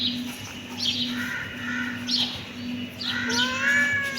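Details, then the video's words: Kitten meow that starts near the end, rising slightly and held. Before it come soft, faint squeaks over a steady low electrical hum. "Cute kitten meowing"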